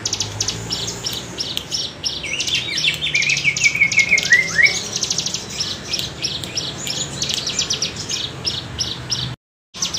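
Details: Bren cigun cicada with its wavy bergelombang buzz, for tutoring songbirds: rapid high pulses run nonstop in swelling waves, a short bird whistle sweeps down midway, and a sudden break comes near the end.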